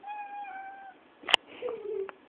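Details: Domestic cat meowing: a sustained harmonic meow held steady for about a second, a sharp click, then a shorter, lower falling meow; quiet indoor background.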